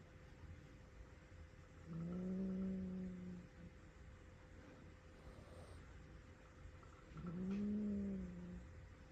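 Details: Low, drawn-out growling moans from a rescued young house cat scared by the sound of a vacuum cleaner, two long alarm calls about five seconds apart, each slightly wavering, over a constant low hum.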